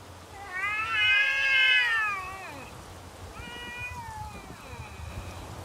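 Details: Outdoor standoff between neighbourhood cats, heard as a loud, rising-then-falling wailing yowl lasting about two seconds, followed by softer, wavering drawn-out cries.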